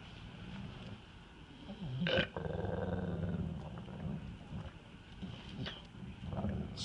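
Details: A female yellow Labrador Retriever licking peanut butter from a jar gives a low, rumbling growl, guarding her food and warning a man who comes too close.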